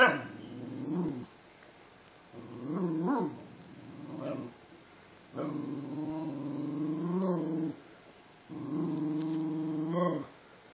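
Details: A Basenji mix gives drawn-out, wavering yodels, each bout rising and falling in pitch, in response to being told "speak".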